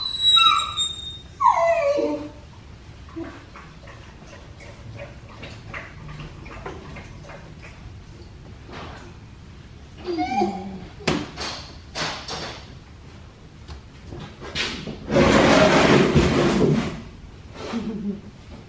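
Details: Black tri male puppy during a bath, giving a few short falling whimpers at the start and again midway, between stretches of quiet handling noise and a loud burst of running water from a sprayer near the end.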